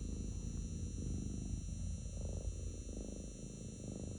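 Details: Purring of a pet cat curled in someone's lap, a low, continuous throaty vibration pulsing with each breath, roughly twice per second, in a quiet room.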